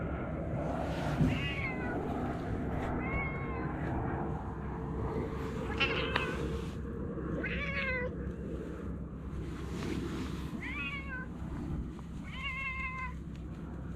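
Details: Chatty stray cat giving a series of short, bending meows roughly every one to two seconds, some with a wavering upturn, set against a constant low rumble and broad outdoor noise.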